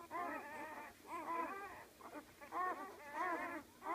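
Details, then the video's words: Great Dane puppies from a litter of 12, born that day, whimper and squeal in overlapping high, wavering cries. "Great Dane newborn puppies"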